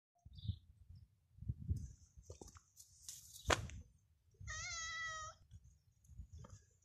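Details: Mother cat with her kittens in a yard on a street called Medio Celemín; one clear, high, drawn-out meow lasting under a second, set among low thumps, rustling and handling noise.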